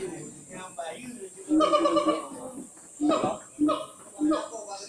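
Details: Siamang at Gunung Gerute, West Aceh, giving loud, harmonic barking calls in short bursts, against a steady high insect hiss.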